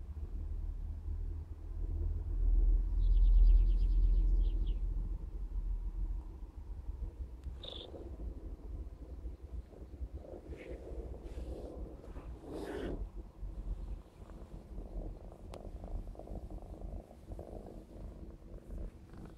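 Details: A young black smoke Maine Coon, four and a half months old, purrs while playing; a deep, even throbbing hum throughout, a louder rumbling swell near the start, and scattered clicks and rustling movement.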